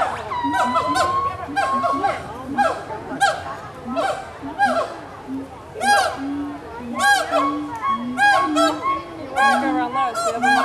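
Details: At Walt Disney World's Animal Kingdom in 2018, gibbons call to one another with repeated swooping, rising whoops that speed up into rapid bouncing notes, over a steady murmur of visitors' voices.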